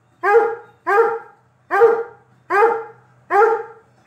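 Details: A Treeing Walker Coonhound watching a video on 24 September 2022 gives loud, full-throated barks, one roughly every three-quarters of a second.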